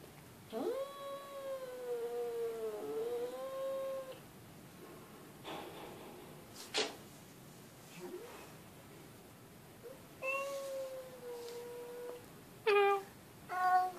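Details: House cat calling in a series of meows: a long wavering one dipping and rising again, a shorter level one, then quick clipped calls near the end, with soft knocks and rustles between them.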